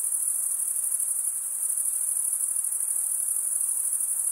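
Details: Crickets stridulating, males rubbing one wing's edge across the toothed vein of the other, giving a steady, very high, shimmering trill with fine rapid pulsing and no pauses; no other sounds.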